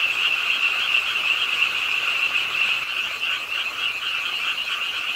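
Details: Many frogs call together at a park pond in Suwon as rain falls late at night. A continuous high-pitched trilling chorus wavers slightly in strength, with a softer lower buzz alongside.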